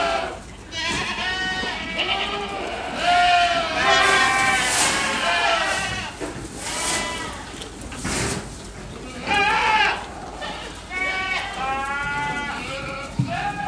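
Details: Ardi goats from a breeder's herd in Kuwait: many overlapping wavering bleats, some high and quavering, others lower, rising and falling in dense bursts across the recording with brief pauses and faint background rustling.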